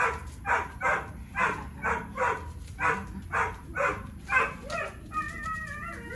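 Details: Boxer named Tyrion, three years old, working on basic engagement training; a string of rough, noisy bursts comes roughly every half second, then gives way near the end to a few thin, steady whistled tones.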